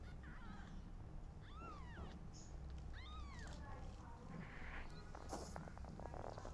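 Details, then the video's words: Loud meowing from newborn kittens whose mother is not feeling well: three clear arched mews in the first half, each rising and dropping, followed by scattered rustling and clicking noises over a low hum. "Newborn Kittens Meowing Loudly While Their Mother Is Not Feeling Well"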